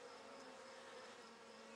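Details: Open hive of Buckfast honey bees, queen laying and workers feeding live larvae, produces a dense continuous hum, even in loudness and rich in layered overtones, during a May 2009 frame inspection.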